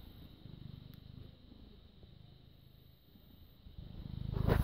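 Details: British Shorthair cat, born 18 August 2010, filmed 6 May 2017 at 21:55, purring: a soft, low, steady rumble of rapid pulses, quiet through the middle and swelling louder with a brief noisy burst at the very end.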